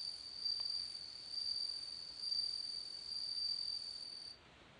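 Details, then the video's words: Bell cricket singing: a clear, high, ringing tone in repeated bursts about once per second, each swelling then easing, with a faint overtone above; the song stops abruptly just before the end, leaving quiet background hiss. "bell cricket singing"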